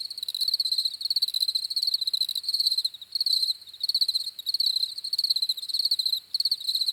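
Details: Chorus of crickets chirping for restful sleep: fast, shimmering high pulses in runs of roughly half a second, separated by brief softer gaps, steady and unbroken, with nothing else audible.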